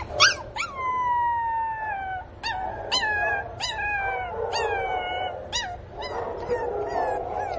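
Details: Pinscher puppy crying for its missing mother, loud high whining cries that start at a peak and slide downward, repeated roughly every half second to second in a steady series.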